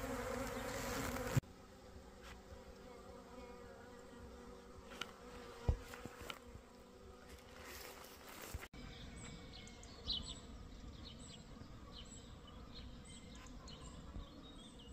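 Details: Swarm of honey bees caught one at a time and shut into a box with little doors at the bottom, a small swarm: steady droning hum with layered tones, broken by knocks and handling clatter, then faint bird chirps.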